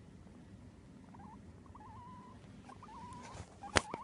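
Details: A male Abyssinian guinea pig, just woken from sleep, gives faint, wavering, warbled chirps in short bursts, with a sharp click near the end and low background rumble.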